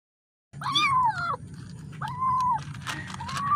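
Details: Kitten calling for its mother: three drawn-out, wavering meows, the first loudest and falling at the end, separated by short pauses, over a low background hum.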